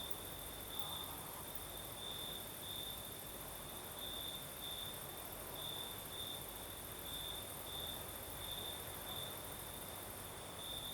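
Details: Crickets sing through a Crimean southern night under a gentle night breeze, a sustained shrill trill pulsing in brief louder phrases, with soft wind hiss filling the background.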